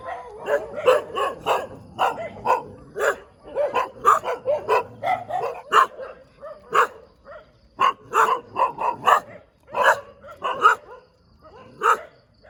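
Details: Morning barking from a dog in the middle of a road: quick bursts of sharp barks, some doubled or tripled, separated by brief pauses over twelve seconds.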